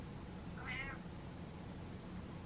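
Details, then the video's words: House cat objecting to the dark and demanding the lights on, giving one brief, soft meow that swells and fades within about half a second against a quiet, constant room hum. "Cat Tells Dad To The Lights On"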